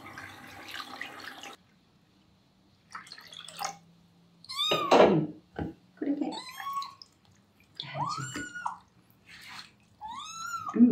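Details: Terra, a rescued male kitten, protests with meows during his first bath. Running water at the start, then a string of loud, arched, whining meows with short pauses between them in a small room.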